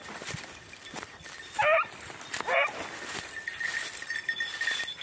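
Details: Beagle during hare hunting practice on Crete, Greece, 2021: two short, harmonic yelping bays about one second apart, with a steady high whine and faint rustling behind them.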